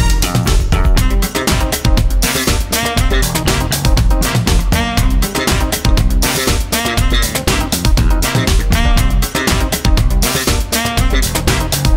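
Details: Upbeat, steady music with a strong beat and guitar plays throughout, with no animal sound.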